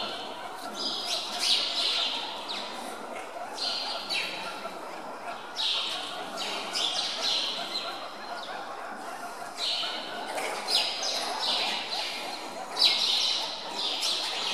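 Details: Hungry meerkats at Zoo Augsburg, chasing one another to steal chicks handed out at feeding time, give rapid high scratchy chirps and squeaks in clustered bursts, roughly four a second, over a low murmur of visitors' voices.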